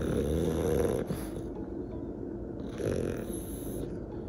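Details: Two elderly twelve-year-old French Bulldog sisters resting on a day off: low, rattling snores with breaths rising and falling about every two seconds, with faint background music.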